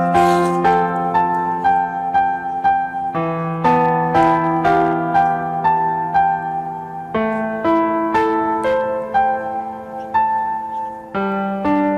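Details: Gentle electric piano music plays, with repeated chords and melody notes, and no animal voices are heard.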